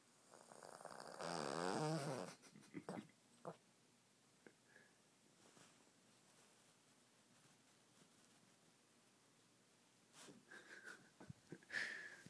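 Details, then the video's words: Scamper, a pet cat with no ears, snoring while asleep indoors: one loud, rasping, buzzy snore swells and fades over about a second, then soft breathy snorts and short clicks, a long quiet stretch, and a few faint breaths near the end. "Scamper the Snoring Cat with No Ears"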